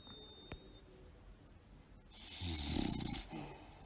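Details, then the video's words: Sleeping, tired bulldog snoring: quiet breathing, then a raspy, hissing snore swelling near the end, with a faint high ringing tone in the room. "tierd bulldogs snoring"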